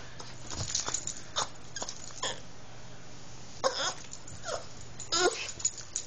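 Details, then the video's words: Female Boston Terrier eager for a car ride, making snoopy noises: short snorting, wheezy bursts with some whiny tones, scattered irregularly through the recording with quiet gaps between them. "boston terrier makes snoopy noises"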